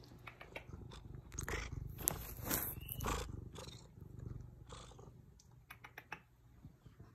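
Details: A female Ragdoll cat from Arizona purrs with a low, steady rumble, broken by a few brief, sweet meows.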